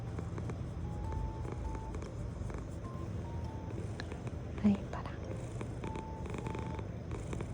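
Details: Sobbang, a male British Shorthair cat at home, purring steadily in a low continuous rumble, with soft background music tones and faint indoor noises.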